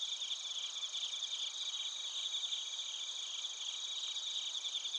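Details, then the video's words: Crickets and bell crickets chirping together at night-like chorus in Narita, Chiba, Japan; dense high pulsing trills layered in steady bands, continuous without pause, no other sounds. "スズムシとコオロギの鳴き声 - Chirping of crickets"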